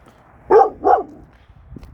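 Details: Kangal named Nazo barking at night at a strange stray female dog that came into the neighbourhood, two loud harmonic barks about a third of a second apart, then quiet.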